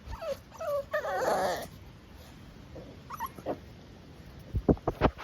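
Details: Blue Staffordshire Bull Terrier puppies from Petra & Tommy's litter, wriggly and asking to be picked up; a few high whining squeaks at the start, then quiet, then a run of short sharp hiccup-like bursts near the end.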